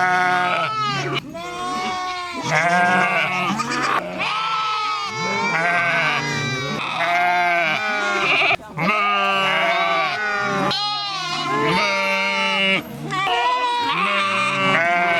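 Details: Several sheep bleating at once in a dense, unbroken chorus of loud, quavering baas of mixed pitch, with hardly any pause across the whole stretch.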